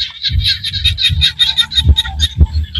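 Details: Small frogs calling in Cambodian rice-field countryside: a dense chorus of short, high, rapidly repeated pulsed notes overlapping steadily, over a low rumbling background with a couple of soft thumps.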